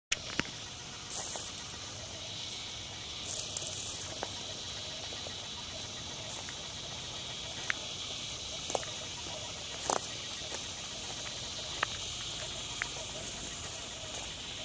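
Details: A dusk chorus of northern dusk-singing cicadas (Tibicen auletes) in Lakewood, New Jersey, on July 28, 2009, a continuous shimmering high buzz punctuated by scattered soft clicks and taps.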